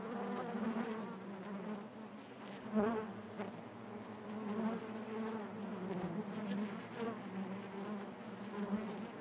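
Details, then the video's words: Quieter, even hum of honey bees inside their hive, many wings blending into a continuous low buzz with faint wavering overtones and only slight swells in loudness. "bees therapy hive natural buzzing sound"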